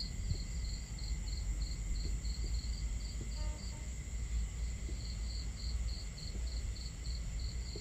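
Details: Night crickets by a camp: high chirps in evenly spaced pulses, pausing briefly midway and then resuming, faint against a dominant low roar of water and fire crackle, with a thin continuous high hum.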